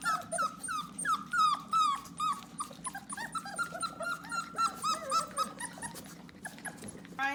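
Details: Four-week-old puppies crying indoors, wanting to be held: a steady run of high, squeaky whimpers, each a short falling whine repeated about three times a second, overlapping with a person's soft speech.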